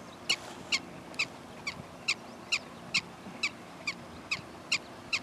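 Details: Prairie dog giving a steady series of short, sharp, high-pitched chirping barks, about two to three per second, twelve in quick succession, clear over quiet background hiss.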